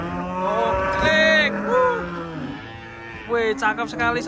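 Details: Giant cattle stepping down from a truck in the morning; a sustained low, steady moo holds for about two seconds, then wavering calls rise and fall, with human voices breaking in at the end.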